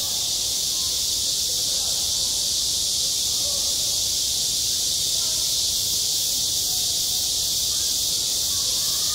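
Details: Summer cicada chorus over a school playground, a continuous high-pitched shimmering buzz holding constant loudness for the whole stretch, with faint low background murmur and a few soft tonal traces under the drone.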